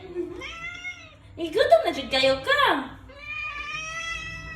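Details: Khao Manee cat asking for cat food, giving a level tonal meow, then a long steady meow at the end, while a person talks over the middle section in a small indoor room.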